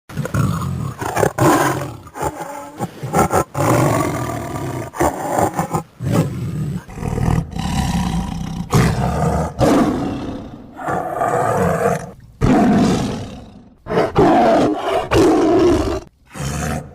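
A tiger gives deep, rasping roars in repeated bursts, each a couple of seconds long.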